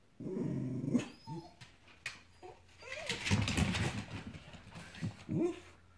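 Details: Dogs after a squirrel in the morning heat, whimpering and whining in dense, wavering tones, with low growly bursts and scuffling between cries.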